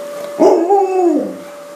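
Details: A freshly bathed Alaskan Malamute gives a brief, rounded howl that rises, holds, then slides down.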